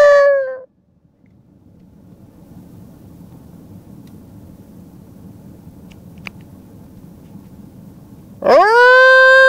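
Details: At night, dogs about 50 m away in scrub beyond a fence answer a person's howl, possibly a pregnant bitch and her mate: a long, rich tone that swoops upward and holds steady, with a low rumble between howls.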